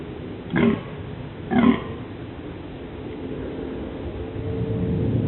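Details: A male deer in the dunes during the mating season (11 October 2008) gives two short, hoarse rutting barks about a second apart over a low rumble of wind, announcing the mating season.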